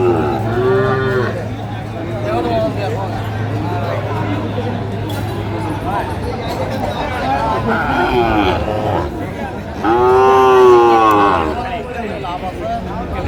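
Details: Sahiwal bull calves at a busy cattle market in Kurigram, Bangladesh, 16 March: a loud rich moo at the start and another, longer and louder, at about ten seconds, with bargaining voices and crowd chatter in between.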